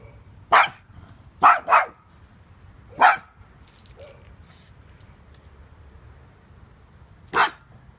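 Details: Little pug that doesn't mess around with intruders, giving sharp single and paired barks spaced irregularly, then a long gap before one last bark, with faint clicks and room noise between.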